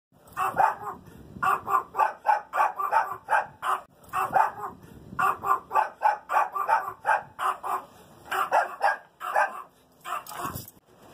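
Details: Little Chihuahuas barking in rapid bursts, sharp yappy barks repeated several times per second in runs of four to six, with short pauses between runs.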